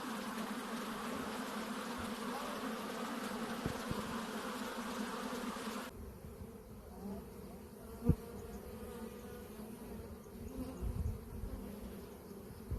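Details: Honey bees buzzing in a steady hum with bands near 250 and 500, dense and loud for the first six seconds, then quieter with a brief knock and some low rumbling.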